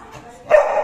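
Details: Candy, a Beagle puppy playing with a ball, lets out one short, sharp bark that starts suddenly after a moment of quiet room sound and holds briefly before cutting off.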